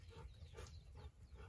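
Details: Golden Retriever caught on a camera left recording, giving a few soft, breathy pants in quick rhythmic bursts about every half second over low background rumble.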